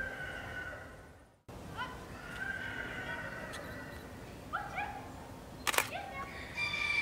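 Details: Northwestern wolves (Canis lupus occidentalis) in the Wildfreigehege Nöttler Berg enclosure at Saerbeck: several long, steady, overlapping tonal calls hold level for seconds, joined by short rising notes, after a brief silent gap, with one sharp click.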